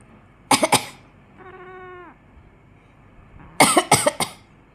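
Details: Mogu the house cat reacts angrily to its owner's coughing. Two quick coughs come first, then a single level, nasal meow of about half a second, followed by another burst of three coughs.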